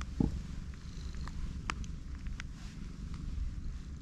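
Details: Soft low purr from a pregnant black cat lying on her back having her big belly touched; quiet rumble with a short squeak at the start and small clicks of handling.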